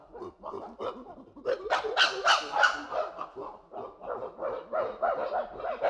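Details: A group of chimpanzees gives rhythmic, breathy hoots that build into loud, harsh overlapping screams, then fall back into a fast, pulsing series of hoots repeated about three times a second.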